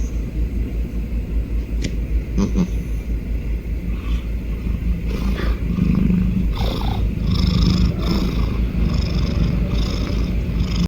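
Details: Calico cat snoring and purring while resting: a steady low rumbling purr with a slow breathing rhythm, softly swelling and fading, with a few faint clicks and rustles in the background.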